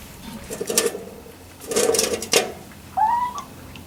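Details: Three-week-old Labrador Retriever puppies, indoors: a single short rising whine near the end, preceded by soft rustling and shuffling bursts.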